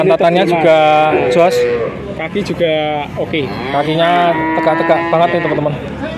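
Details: Bleating moos from a group of nineteen male calves at Grabag, Magelang, come in quick succession, short wavering calls, some rising and falling, overlapping from several animals, with a human voice faintly audible.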